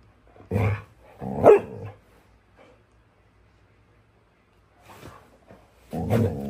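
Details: Phoebe, a female pet dog, gives short, rough, bark-like bursts in two pairs separated by a long quiet gap; the second burst of the first pair is the loudest.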